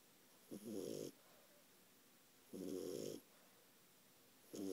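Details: Ralphie, a 4-month-old French Bulldog puppy, snoring up a storm while asleep: rough, rasping snores lasting about half a second, with quiet gaps between them, three bursts in under five seconds.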